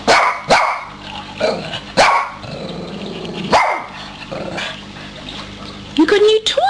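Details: Dog excited over a new toy, giving a series of sharp barks and yips spaced about a second apart, with a person speaking to it and a rising whine near the end.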